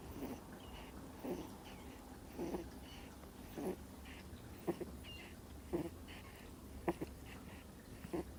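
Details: Sleeping Miniature Schnauzer puppy, two months old, gives faint nasal snores about once a second, each a brief rasping puff against a low steady background hum.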